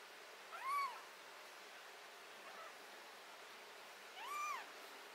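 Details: Two arched, bright meows from a cat having botfly larva and skin blemishes removed, about three and a half seconds apart, each rising then falling, over a soft background hiss.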